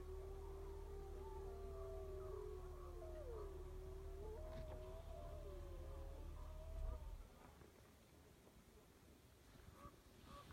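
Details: Several wolves howling together: long, steady tonal howls that waver, bend and overlap in pitch for about seven seconds before fading, under a low continuous rumble.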